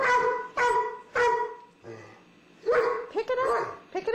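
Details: Puppy living with an old dog at home: three strong ringing barks about half a second apart, a short lull, then a rapid cluster of higher yipping barks.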